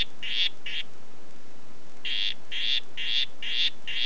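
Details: Oophaga histrionica "Red Head" giving short buzzy call notes: two, a pause of over a second, then five more evenly spaced at about two per second, against a quiet background.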